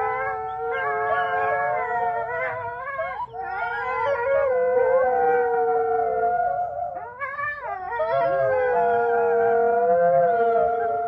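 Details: Wolves howling in chorus: several long, sustained, wavering tones overlap and slide up and down, with voices joining after brief breaks around three and seven seconds.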